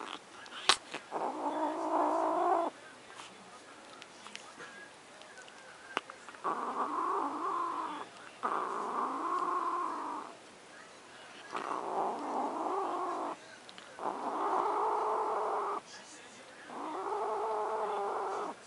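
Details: Luna the house cat turns possessive over macaroni and cheese, letting out six long, rising-and-falling growling yowls in a row, each lasting one to three seconds with brief silences between.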